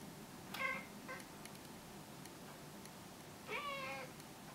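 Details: Talkative pet cat chatting indoors: two short, wavering meows about three seconds apart, the second with a rising then falling trill, against quiet room hiss.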